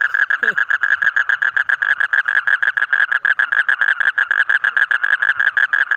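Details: Colourful frogs, yellow, green, red and others, give a loud run of short buzzy pulsed notes repeated rapidly and evenly, several each second, with a faint brief voice early on.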